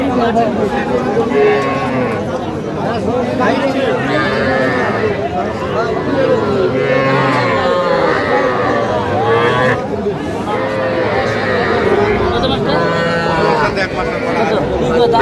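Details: Cattle, small bulls and heifer calves, at a livestock market in Madaripur, Bangladesh, on 9 August 2025. Drawn-out moos rise and fall over steady bargaining voices and crowd chatter.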